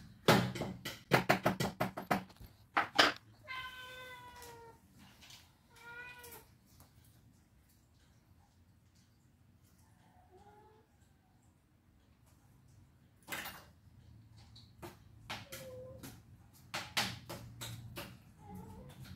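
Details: Pet cats quarrelling as breakfast time nears: a burst of sharp knocks and clatter opens, then several separate meows, some wavering and rising, spaced a few seconds apart in a quiet room with later thumps.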